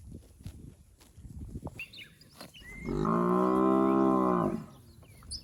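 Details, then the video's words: Fat, healthy village cattle from a herd roaming the rice fields give one long, steady, deep moo lasting about a second and a half, preceded by faint rustling and scattered high bird chirps. "Suara Sapi Gemuk"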